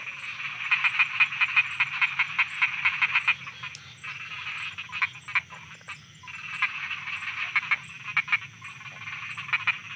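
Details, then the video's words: Frogs croaking at night in Thailand: a dense chorus of rapid, pulsed, rattling croaks, loudest in bursts during the first three seconds, dipping briefly, then swelling again with overlapping callers and a steady high insect-like hiss. "Thailand Night Frogs Soundscape"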